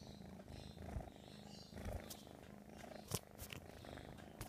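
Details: American Shorthair kitten purring continuously indoors: a steady low rumbling purr pulsing in rapid rhythm throughout, with a few soft clicks and brief rustles on top.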